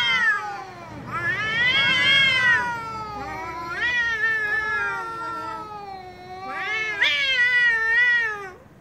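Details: Angry domestic cat giving loud, drawn-out wailing meows: three long harmonic cries with wavering, bending pitch, the first and last strongest, separated by brief dips.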